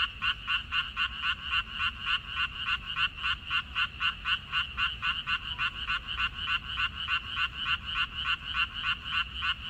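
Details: Frogs in a water dropwort (minari) field, recorded 14 May 2021, give rapid, steady croaks. Each is a short double-banded pulse, roughly three or four every second, and they keep an even rhythm over a faint low background hum.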